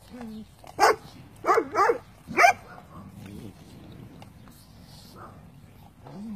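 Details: Cane Corso puppies during traditional natural weaning, eating their meal: three sharp, high yelping barks in quick succession near the start, then soft thin whines over a quiet background.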